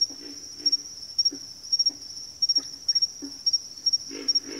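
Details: Backwater frog chorus with short, deep grunting croaks spaced through the clip, a double burst at the close, set against a steady piercing high whine pulsing roughly twice per second.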